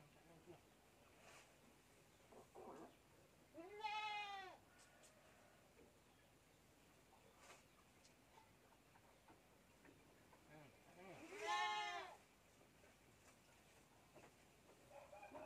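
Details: Two arching, vibrato-laden bleats from a goat kid being bottle-fed milk, about eight seconds apart, separated by soft handling noises and faint clicks.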